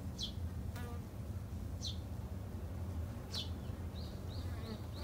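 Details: Japanese honey bees, kept by a beginner garden beekeeper, give a low continuous buzz. Several loud, high, falling bird chirps cut through, followed by a quick run of four short repeated high notes near the end.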